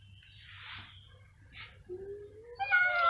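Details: Cats meowing loudly: soft breathy sounds first, then a rising tonal meow swelling into a louder, higher yowl at the close.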